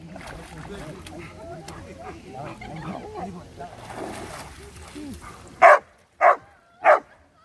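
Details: Labrador Retrievers, two dogs, 23 May 2020: people talk with light splashing for several seconds, then three sharp, evenly spaced barks close the recording.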